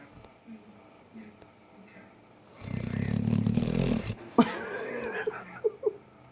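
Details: A dog snores, keeping its owner awake. One long, harsh, low-pitched snore lasts about a second and a half, then Spanish speech and a few sharp clicks follow.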